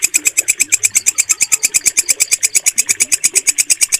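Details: Bush cricket (walang kecek) with a clear, stable call used to train pet birds. Shrill, buzzy pulses come about three times a second in an even, unbroken rhythm, over faint background twitters.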